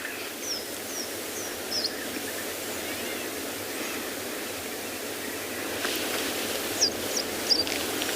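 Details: African wild dogs at sunrise on 10 June in Tswalu Kalahari Reserve, South Africa, give short, high, bird-like squeaks in two quick bursts of three or four over a steady rushing hiss. These are communication squeaks among pack members.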